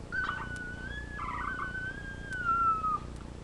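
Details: Labrador retriever puppies, live puppy cam; a drawn-out, high, pure whine runs almost three seconds, gently wavering and slowly falling at the end, with a faint second whimper overlapping briefly.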